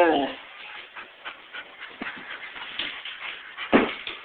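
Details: A white Siberian Husky howls and "talks", giving short, whining, talk-like vocalizations that slide down in pitch.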